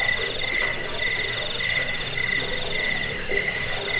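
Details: Crickets in a recording meant for driving off rats and tutoring songbirds: a high, rapid pulsed chirp repeats steadily about twice a second, while a second, lower trilling caller runs beneath it over a faint hiss.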